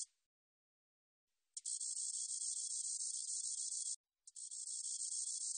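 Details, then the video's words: Korean recording from 2020 of a spotted meadow katydid: after a second of silence, a bright, hissing pulsed buzz runs over two seconds, stops briefly, then resumes steadily. "점박이쌕쌔기, 여러번 듣기, 곤충소리"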